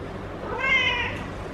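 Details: Feral female cat in heat being petted by a person gives a single short, bright, rising-then-falling meow lasting about half a second against quiet room noise.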